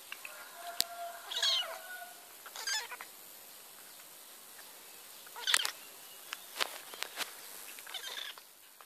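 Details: Bottle-fed kitten during hand-feeding, with short, strained meows at irregular intervals, about four in nine seconds, mixed with rustling, clicks and sucking or handling noises against a steady hiss.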